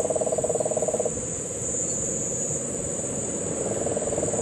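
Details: Puerto Rican crested toad during the September 2007 rains at Guánica Dry Forest, Puerto Rico. A low rapid trill lasts one second, then stops. After a pause a fainter trill resumes, over steady high insect noise.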